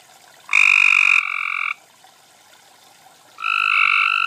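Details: Cope's gray treefrogs (Hyla chrysoscelis) calling to each other at night at a small garden pond in Carroll County, Maryland, in June 2013: two harsh, rapidly pulsed trills, each about a second long.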